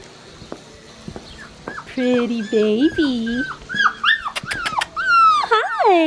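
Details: Blue merle male Australian Shepherd puppy whining while a woman talks to it softly; wavering, squeaky whimpers rise and fall, some doubled, growing louder and more insistent toward the end, over quiet room noise.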